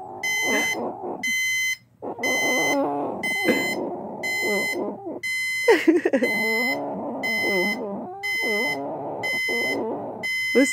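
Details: A pet pit bull reacts as an alarm goes off, giving wavering, rising and falling whines and yips that run almost continuously under a steady, repeating electronic alarm beep with bright, high harmonics.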